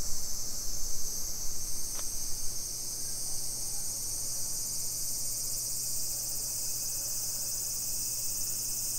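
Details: Cicadas shrilling on a summer afternoon, 2 PM, 28 July 2021, in Nisshin city near Nagoya, Japan: a level, high whining drone throughout, a single sharp tap at two seconds, a low hum, and fading footstep thumps at the start.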